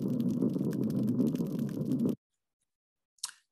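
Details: An underwater chorus of spotted seatrout (Cynoscion nebulosus), recorded by a long-term passive acoustic recorder in a South Carolina estuary, makes a dense, low, rumbling drone of overlapping croaks and drumming.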